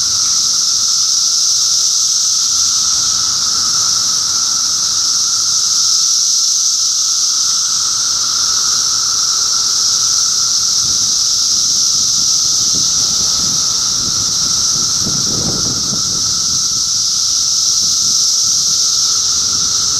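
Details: Cicadas massed in Middlesex County, New Jersey, in June 2013, making a steady, unbroken, high, hissing buzz with a fainter droning hum beneath it. Soft low rumbles rise briefly near the fifteen-second mark.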